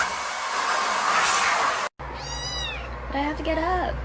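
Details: A domestic cat from a funny cat compilation, heard after a burst of loud hissing blower-like noise: high descending squeaky chirps, then a short wavering meow that rises and falls.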